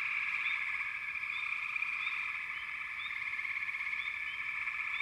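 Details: Steady frog chorus with a dense vibrating trill underneath and sparse, sharp rising chirps sounding at irregular intervals.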